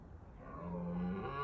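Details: Red deer stag roaring in Bushy Park during the rutting season to deter rivals; a short, deep, rising tonal bellow with a steady low pitch, held and swelling louder over its length.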